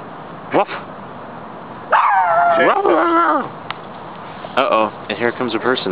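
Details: Two short-haired Brussels Griffons, Chance and Brutus, playing together in a park: a sharp yip, then a drawn-out wavering whine-growl, then a burst of quick high barks near the end, with a person talking nearby.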